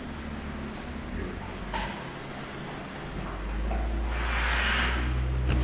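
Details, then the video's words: Asian elephants at the Washington Park Zoo in Portland, Oregon, taped on October 25, 1984, giving infrasonic calls played 2.5 times faster. A deep, steady low rumble swells louder through the second half over a constant tape hiss. "Recording of Asian elephants (1984)"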